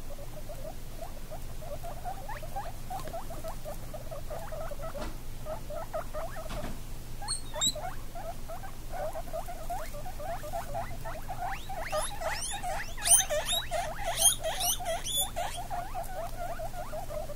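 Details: Baby guinea pigs 17 days old with their mother, giving a steady run of short squeaky chirps, rapid and uneven, growing louder and busier near the end with sharper high clicks and a low steady hum underneath.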